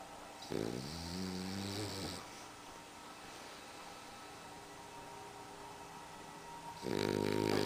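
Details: A sleeping French Bulldog snoring indoors; a rough, rattling snore of about a second and a half, a quiet stretch of steady room hiss, then the next snore starting near the end.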